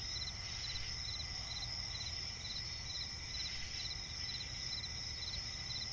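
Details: Night forest swamp ambience with crickets: continuous shrill trilling bands and clusters of rapid pulsed chirps recurring every second or so, with a steady low-frequency rumble beneath.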